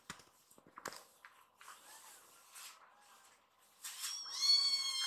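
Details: Hana, a rescued foster kitten, wildly excited after being petted and climbing up a man to his shoulder indoors. Faint thin wavering cry midway, then a loud, high, rich meow rising and falling at the end, after soft rustling and clicks.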